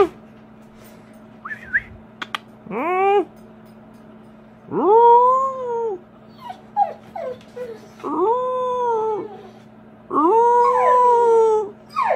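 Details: American Bully howling along when its owner asks it to howl: drawn-out arched howls lasting about a second and a half each, rising then falling, mixed with short whimpers and yips, over a constant low hum.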